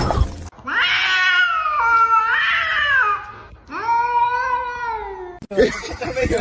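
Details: Cat giving two long, loud, drawn-out wailing meows, the first wavering and strained, the second steadier and slightly falling, with people's voices and laughter at the start and end.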